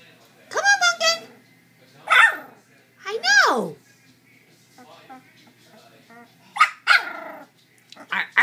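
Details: Nearly three-week-old Chow Chow puppies walking about indoors, sisters asleep nearby; about five short arched whimpers and squeaky yips spaced irregularly, some sliding downward, with occasional soft human speech between them.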